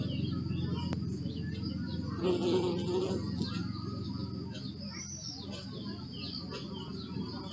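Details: Bees buzzing as a low, steady drone with layered harmonics, one closer bee swelling louder for about a second midway, while small birds chirp faintly in the background.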